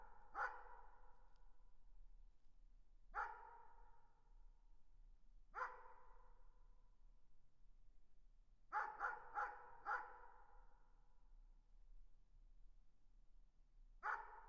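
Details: Distant dog barking: single muffled barks every two to three seconds, then a quick run of four barks, and one last bark after a pause, against a quiet, low background.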